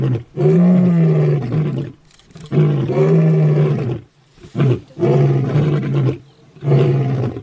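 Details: Deep grunting roars from a lion, a rhythmic run of low, hoarse bursts roughly every one to two seconds, fading between calls into near silence.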